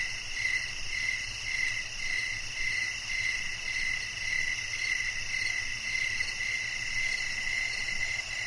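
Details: Chirping crickets: a regular train of short chirps, close to two each second, rising from a steady high-pitched hiss of other insects and a soft low hum.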